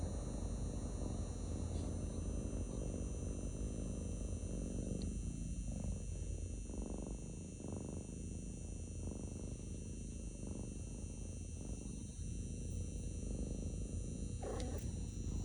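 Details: Male pet cat purring while resting in a lap indoors: a steady low rumble that swells and fades in a slow breathing rhythm, about two cycles a second, with a faint steady hum above.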